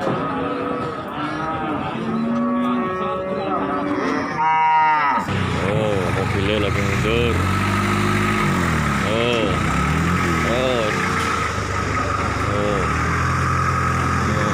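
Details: Cattle being unloaded from a truck at Margorejo livestock market in Pati, Indonesia, on 13 May 2020; deep drawn-out moos with harmonic bands, several overlapping, amid a steady engine hum, crowd chatter and a sharp clatter.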